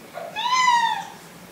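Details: Indoor kittens introduced to each other for the first time; one drawn-out meow, rising then slowly falling, in a quiet room.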